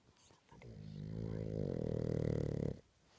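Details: A sleeping Boston Terrier snores with a long, low, rattling rumble that swells and then cuts off.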